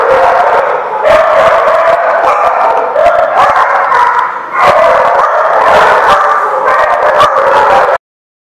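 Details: A crowd of dogs at The Barking Lot, recorded 4/11/16, keeping up a continuous mix of yips, barks and wavering howls for about eight seconds, then falling abruptly silent.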